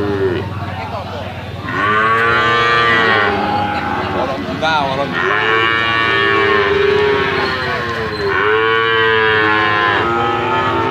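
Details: Bali cattle for slaughter, medium size, at an animal market, giving loud arched moos in bursts roughly two seconds apart. Quieter lowing and market background fill the gaps.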